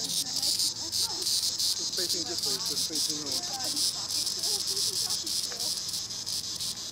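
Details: Green annual cicada (Tibicen linnei) droning loudly in the treetops, a harsh high buzz that swells and throbs rhythmically, while small birds chirp and twitter beneath it.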